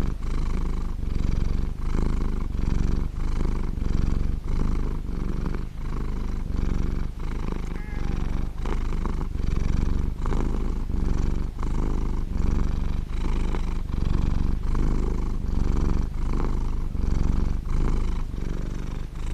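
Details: Sustained purr from Coconut, a large blue British Shorthair cat: a loud, low, buzzing rumble rising and falling with about twenty-five breath cycles, rhythmic and unbroken.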